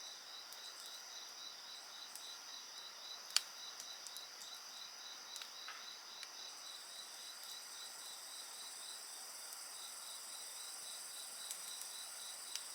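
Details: Steady shrill insect trilling fills the background with a softly pulsing chirp layered on top; a campfire crackles with scattered small snaps and one loud pop.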